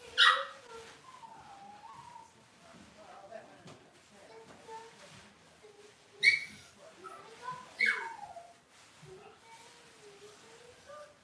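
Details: Cavalier King Charles Spaniel puppies from one litter, indoors in a kitchen: steady thin whining that wavers up and down, broken by three loud sharp yelps and squeals.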